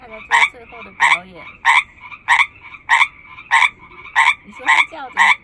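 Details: Frog from a chorus of hundreds, one loud lead caller in front: short, harsh, clicking croaks about every 0.65 seconds, nine in a row, over a steady buzzing chorus, with people's voices briefly between calls.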